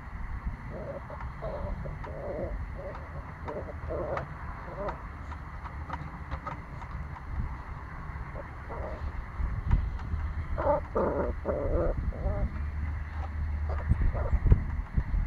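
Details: Nine-week-old Pomsky puppy barking: short, mid-pitched yaps come in uneven bursts, with a louder, denser cluster of barks near the end over a steady low background rumble.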